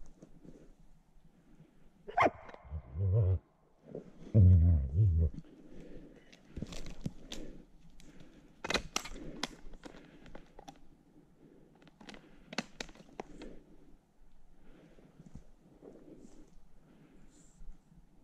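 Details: Gray wolf (Canis lupus) in Belarus, caught from the wild for collaring and release, gives deep, harsh barks and growls in aggression as it lunges at people trying to catch it.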